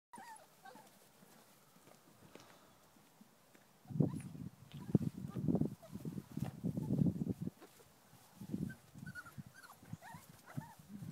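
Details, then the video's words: Airedale Terrier puppies, a litter heard after about four seconds of quiet: a run of low, grunting and squeaky vocal bursts and scuffling, irregular and overlapping, with faint higher whines scattered through. "Airedale Terrier Pups"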